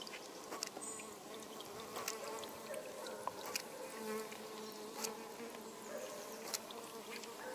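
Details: European honey bee. A continuous drone of honey bee wings fills the air, a low steady hum with faint overlapping tones as several bees fly close by. Short sharp clicks and taps break through the buzzing now and then.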